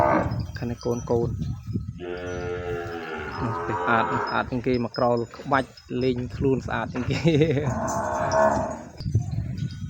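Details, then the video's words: Separated calf calling for its mother in a cattle pen: several stretched, tonal moos, some quavering, spaced between knocking and shuffling, with human talk nearby. "កូនគោយំស្រែករកម៉ែ បំបែកលែងអោយនៅក្បែរ យំស្រែកពេញក្រោល"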